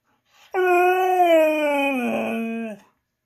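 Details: Female Siberian husky howling and 'talking' because she wants her treat after hearing no: one sustained, tonal, rich howl of over two seconds, steady then sliding lower and roughening at the end; a person speaks right before and after.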